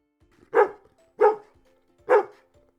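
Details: Dog barking three times, short sharp woofs spaced under a second apart, each a brief burst over a quiet, faint steady musical tone.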